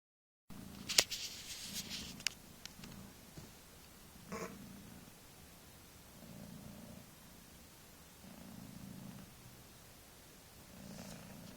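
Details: Mother cat of kittens a few weeks old purring up a storm: a quiet, low rumbling purr that swells and fades in regular cycles roughly every one and a half seconds, with a few sharp clicks and taps near the start.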